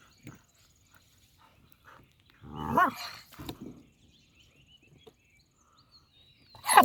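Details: Cane Corso puppy, four months and fifteen days old, giving an eerie, horror-like sound: a harsh, strained burst with a rising and falling tone lasting nearly a second, a few short rough follow-up sounds, then another sharp cry at the end amid quiet.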